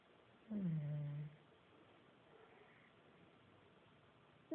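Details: Buddy, a pet pug, asleep indoors and snoring: a single drawn-out, low, tonal groan with a nasal edge lasts under a second, then the room falls quiet until a brief sound at the very end.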